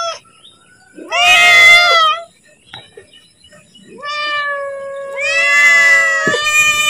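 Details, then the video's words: Pet cat meowing to beg for food just before being fed; long, strong harmonic meows, one near the start and a longer rising, sustained call later, with a faint steady high tone in the background. "Suara Kucing Memanggil / minta makan"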